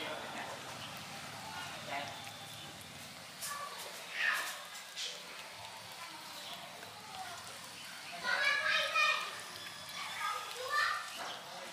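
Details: Kittens mewing as they are called to eat food: a few scattered high, wavering mews, with a bright cluster of overlapping cries near the end, over a quiet hissy background.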